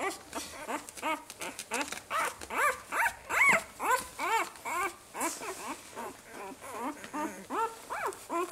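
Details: Several five-day-old Saluki puppies whimpering together: a steady stream of short, arched, squeaky whines, roughly two or three a second, overlapping and varying in loudness, with a brief higher squeal partway through.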